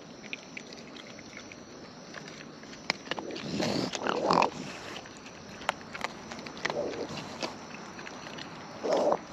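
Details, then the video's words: Wild raccoons eating at close range; scattered crisp chewing and biting clicks with several short breathy snuffling or grunting bursts, the loudest near the end, over a low steady hiss. "Wild Raccoons & ASMR Chewing Sounds"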